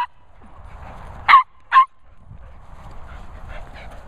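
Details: Nala the Border Terrier greeting two Cocker Spaniels, Finlay and Murphy, gives two sharp, clipped barks about half a second apart, then quiet murmur and faint rustling.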